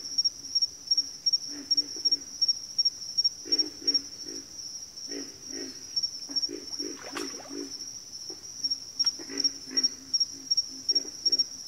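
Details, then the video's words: Several frogs grunting together in a backwater chorus, irregular low croaks in clusters, partly overlapping, accompanied by a persistent high, pulsing insect trill. "Backwater Chorus, & Frog Chorus"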